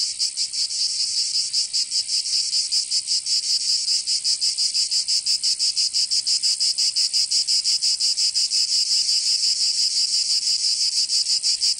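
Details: Cicadas heard on a summer day in Provence, southern France: a bright, piercing buzz beating rhythmically about three times per second throughout, forming a constant wall of insect sound.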